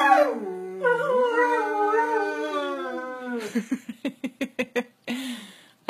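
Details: Greyhound, eleven years old, howling at his birthday celebration: a long, sliding, wavering howl of about three seconds, then a quick run of roughly eight short, sharp yips, ending with a brief howl.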